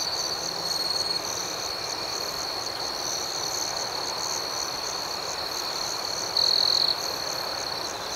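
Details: Crickets at night keep up an unbroken high trill and a softer pulsing chirp above it, with one close caller briefly louder near the end.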